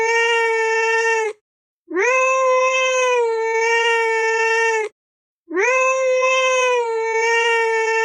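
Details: Cat giving three long, steady, drawn-out meows, each over a second long with a level tone and a slight rise at the start, separated by short silences.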